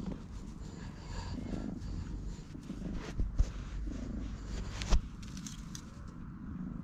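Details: Stray cat seeking affection, purring loudly while rubbing against a person's legs and refusing to leave, filmed on a GoPro HERO8: a steady, deep rumbling purr throughout, with a few soft thumps and rustles partway through.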